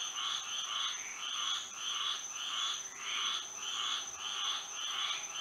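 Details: Frogs singing at night under moonlight in Florida: a chorus of pulsed, nasal croaks in quick repeated bursts, roughly a hundred per minute. The bursts swell and fade, and a steady thin high-pitched tone runs underneath.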